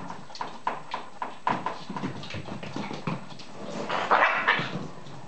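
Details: Whippet puppies not quite seven weeks old playing together: a run of short, gruff growl-like bursts and snorts at an irregular, quick pace, then a higher, clearer yipping whine toward the end, with scuffling between.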